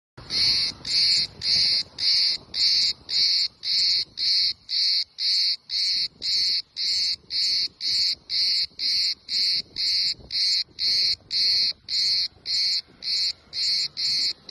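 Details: Cicada camouflaged on a tree on the island of Kos, Greece, singing in loud, buzzy, high-pitched pulses repeated steadily about twice per second, each burst short and evenly spaced, with no other clear sounds.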